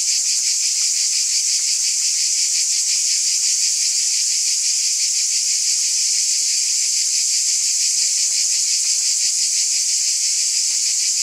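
A cicada chorus drones in a steady, shimmering high-pitched buzz with a fast pulsing texture.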